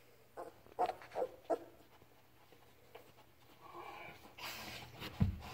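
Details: Labrador Retriever puppy Ripley, learning to walk and starting to play with its mother Halia indoors; a few short whimpering squeaks near the start, then rustling and soft handling noise in a small room.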